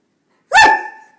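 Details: Hungry Borzoi (Russian Wolfhound) indoors at night demanding a snack: a single loud harmonic bark with a rising onset, then a sustained tonal tail that fades over about half a second, following a person's coaxing.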